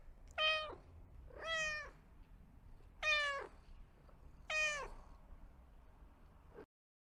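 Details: Quiet kitten meowing: four short, bright meows with stacked harmonics, roughly one every second and a half, over a soft noisy background.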